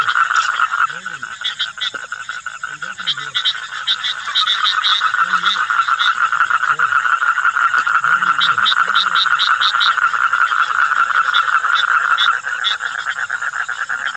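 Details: Common toads, several of them, calling at Mettur reservoir: a continuous, fast-pulsed droning trill holds one pitch for the whole stretch, with faint low warbling notes scattered underneath.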